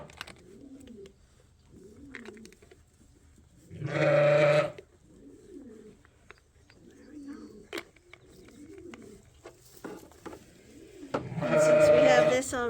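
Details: Sheep at Ewetopia Farms during lamb tagging give two loud, nasal, quavering bleats about eight seconds apart. Between them come faint, wavering lower sounds and quiet pen noise.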